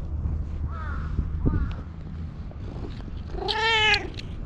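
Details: Jet-black stray cat that followed the recordist and climbed onto their lap, appealing for something in cat language, filmed on a GoPro: a faint meow, then one loud drawn-out harmonic meow near the end over low background rumble.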